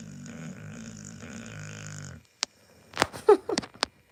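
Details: A sleeping Pit Bull gives one steady, low, buzzing snore lasting about two seconds, followed by a few sharp clicks and short snorting noises.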